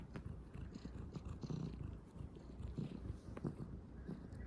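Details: Kneading calico kitten gives a low, pulsing purr, broken by soft clicks and rustles that come from its paws working the bedding.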